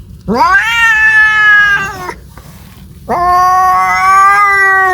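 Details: Two sustained caterwauls from a domestic cat seeking a mate. Each rises sharply at onset, then holds a level, moaning tone for well over a second, with a quiet pause between the cries.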